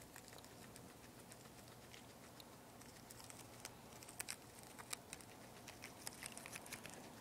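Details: Poporn, a two-month-old guinea pig, eating lettuce: a steady run of crisp, rapid crunching clicks from chewing, growing denser and louder in the second half, over a quiet indoor background.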